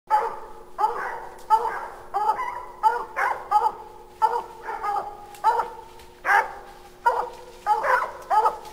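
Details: Hounds barking up a tree at raccoons at 9 pm, about 30 feet from a house, heard from a deck: loud, harmonic bays repeated roughly every 0.7 seconds, some drawn out into short howls, a steady faint hum beneath.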